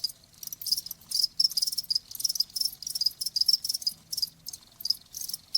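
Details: Cricket chirps come in uneven bursts of shrill, rapid pulses, some closely spaced and others after longer pauses, against silence.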